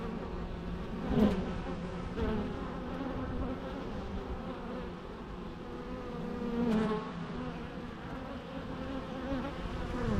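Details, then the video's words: Bees buzzing in a natural setting: continuous low droning hum with two louder close passes, one early and one past six seconds, each a gliding whine that swells and fades. "natural bee sounds"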